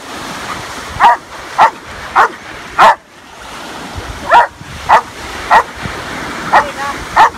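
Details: Rescue Belgian Malinois giving loud, short barks in an uneven series, about nine barks over seven seconds with a brief pause in the middle.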